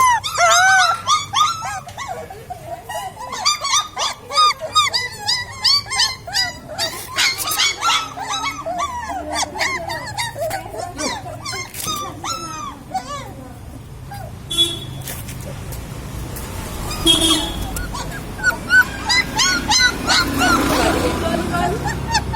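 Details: Several puppies crying together, dense overlapping squeaky whines and yelps for about eight seconds, then quieter mixed sounds with faint voices and rustling noise.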